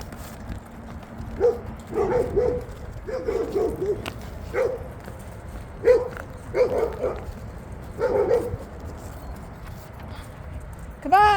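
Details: Big red female Labrador Retriever, possibly named Ladybug, playing with a found ball on an iced-over dog park field in cold weather; short harmonic barks come in irregular bursts every one to two seconds over steady wind rumble, with a person's voice nearby.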